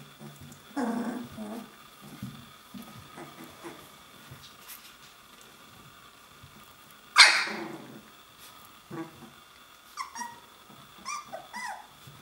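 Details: Puppies on their 21st day playing and practising growling and barking: a low rumbling growl near the start, one sharp high yelp-like bark midway, then several small squeaky yips near the end over a quiet background.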